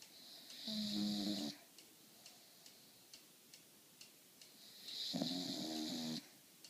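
Two drawn-out snores from an English Bulldog, each a rough, buzzy rumble with a hissing, wheezy edge lasting about a second. Soft, steady ticking fills the quiet gap between breaths.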